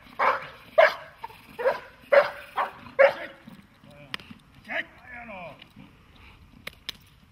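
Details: A dog in protection training barks in a quick series, about six sharp harmonic barks within three seconds, followed by a handler's voice giving commands and praise in Slovak, with a few softer sounds at the end.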